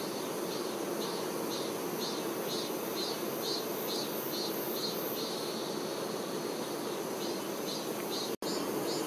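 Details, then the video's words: Honey bee workers caring for the queen fill the air with a constant low buzzing drone, while faint rhythmic high chirps repeat about twice a second in the background, briefly interrupted near the end. "Nature ASMR-honey bee"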